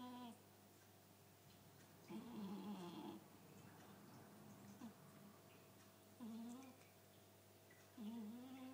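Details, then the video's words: A Chartreux cat snoring very loudly; low, rough, buzzing snores come in separate bursts of about one second, with quiet breathing pauses between them and a steady faint hum in the background. "Chartreux qui ronfle"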